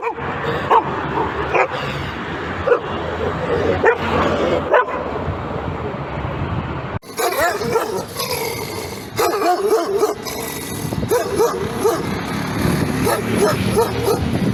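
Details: Dog barking in a series of short, rough yelps amid noisy surroundings; the recording cuts abruptly midway, followed by further brisk, irregular barks and yips.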